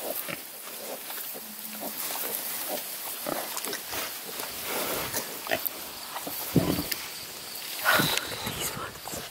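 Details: Grunting and snuffling from a litter of sixteen new piglets near Kingston, Ontario, Canada. Soft, irregular short calls are mixed with rustling, and a couple of sharper squeaky notes stand out toward the end. Occasional human voices are heard.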